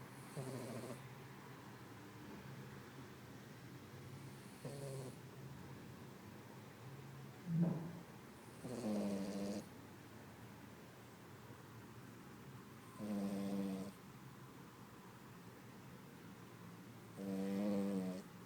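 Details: Female Poodle asleep after a day of canine activity at a country farm, snoring in rough, throaty bursts roughly every four to five seconds, some with a short snort-like start.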